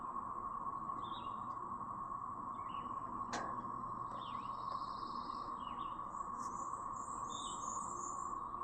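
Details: A brood of cicadas in Chapin, South Carolina, on May 7, 2024, drones in a constant, even, siren-like hum, with small birds adding brief high chirps and twitters above it.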